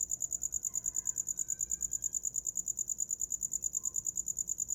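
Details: Cricket giving a fast, even train of shrill clicks at one high pitch, roughly eight per second, as a bedtime night sound; faint soft tones and low rumble in the background.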